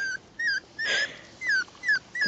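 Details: Tiny female miniature schnauzer puppy whimpering: six thin, high whines, each sliding downward, repeated about every half second with short silent gaps between them.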